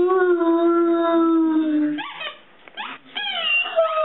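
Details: Great Dane giving one long, steady howl with rich overtones that sags slightly in pitch over about two seconds, followed by a brief pause and a few short, rising, yelping notes.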